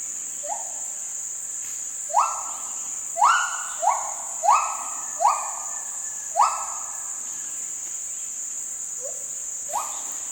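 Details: Gibbons, including a baby gibbon, in Kaeng Krachan National Park, Thailand, give clear rising whoops one after another over a steady high insect drone.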